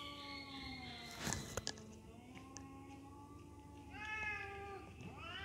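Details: Two sibling cats in an aggressive fight: sustained, wavering yowls overlap, broken by a burst of scuffling thumps near the middle, then a new higher, tense rising wail and a final upward-sweeping cry.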